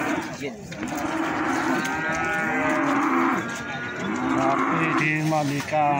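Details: Feeder cattle at Plaosan market in Magetan bellow in loud, rich harmonic moos that swell and fall, several overlapping calls within a few seconds, against general market bustle.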